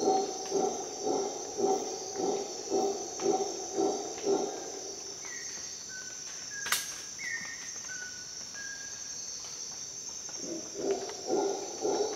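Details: Howler monkey at dawn in Costa Rica jungle: low pulsed roaring for several seconds, a pause filled with short whistled bird notes and a sharp click, then the throbbing roar resumes, all over high insect hiss.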